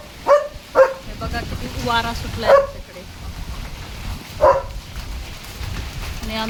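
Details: German Shepherd dog barking nonstop at strong wind during a storm as rain starts under dark clouds; four loud separate barks spaced one to two seconds apart over steady rain and wind noise, with a person speaking.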